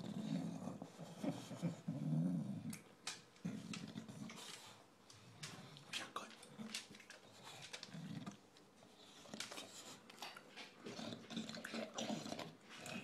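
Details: A recently adopted male English Bulldog eats his dinner noisily, with deep snorting grunts mixed with wet crunching and smacking, while his owner talks to him.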